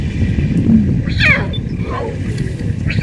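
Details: In Tanzania, lion cubs that swam across a pool to join their mother at mealtime give a couple of thin, cat-like mews that slide up and drop away, over a low rumble with faint human voices.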